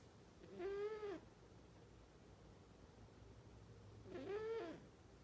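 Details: Sleeping cat snoring loudly: two whistly, nasal snores, each a rising-then-falling tone under a second long, about three and a half seconds apart, in a quiet room.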